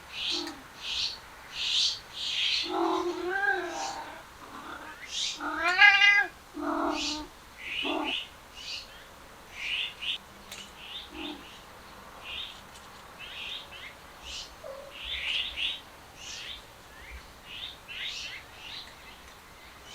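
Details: Stray cats, several males following a female, give drawn-out wavering meows and wails with rich harmonics, rising and falling in a burst near the middle, then fading. Short, bright bird chirps repeat throughout.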